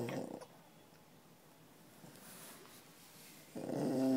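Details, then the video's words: Sleeping dog at a pet resort during office hours: a harsh snore fades out at the start, a long quiet gap follows, and then another raspy, slightly tonal snore starts about three and a half seconds later. "Snoring Fannie"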